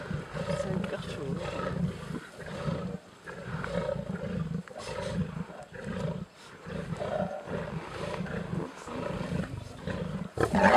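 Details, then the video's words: At Sabi Sabi Private Game Reserve, lions feeding on a kill give heavy, throaty growls and grunts in rhythmic pulses for about ten seconds. There are brief pauses between bouts and faint human voices in the background. "lions on a kill and playing"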